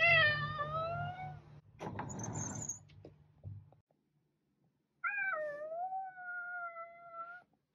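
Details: Cat meows twice, a long falling meow opening the recording, then a rustle or scratching noise and a brief silence before a second, clearer meow that dips and levels off, with faint low hum.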